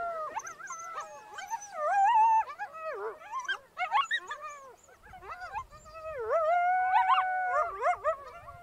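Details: Solitary coyote in snowy wild country giving a run of howls: sliding, bending notes mixed with yelps and choppy yips, loud in the middle, fading, then a steady rising howl near the end.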